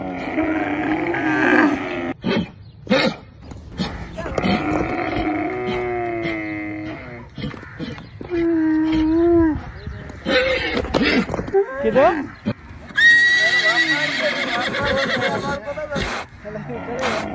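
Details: A camel, frightened by a horse, gives loud, rumbling groans with wavering, bellowing tones, mixed with brief human voices.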